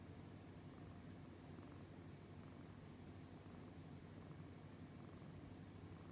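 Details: Purring brown tabby cat being stroked, giving an even, continuous low throbbing hum with no breaks and only soft background hiss around it.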